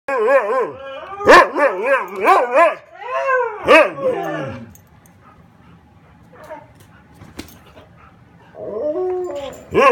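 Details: A dog that no one wants to play with gives wavering, howling whines in a run of rising and falling cries, broken by a sharp yip, then a quiet pause before the whining resumes.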